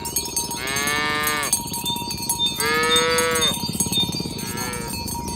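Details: Morning herding of village cows toward the pen, the animals calling companions to gather: two clear bellowing moos and a fainter third, set against dense, noisy jangling of cowbells.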